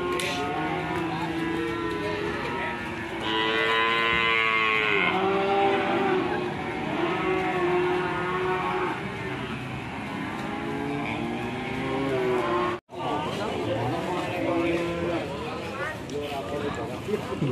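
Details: Fierce, raging cows panicking their owner, from a compilation: several long, drawn-out harmonic moos follow one another, some rising and falling, with a brief cut near the end and a steady background hum.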